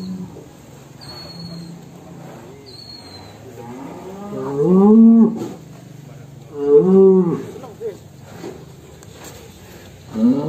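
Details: A cow known as The Legend of Damar Wulan, described as extreme, coming out of its pen. Two loud, rising-then-falling moos with rich harmonics sound about two seconds apart, over a quiet background with faint voices.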